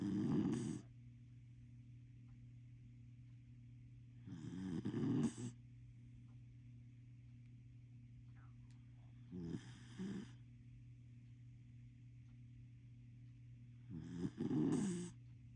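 A corgi snores in deep, rumbling bursts, each about a second long, repeating every four to five seconds.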